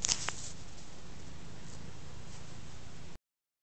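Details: Ostikka, a big black cat who purrs a lot, lies contentedly on a rug while being scratched; a steady low rumbling purr runs throughout, with a brief click near the start, then stops abruptly after about three seconds.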